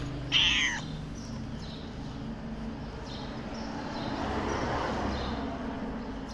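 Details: Hungry, thin black stray cat in Morocco, thought to have newborn kittens; a single short, loud, wavering meow early on, followed by low outdoor rumble and background noise.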